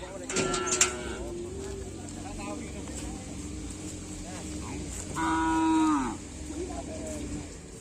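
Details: Bull racing (karapan sapi) practice with cattle on the Aseamanis field, Pamekasan, in preparation for the Bayangkara Cup and Bupati Cup. Early on come voices and a rumble like an engine. Near the end one long, even moo sags in pitch as it fades out.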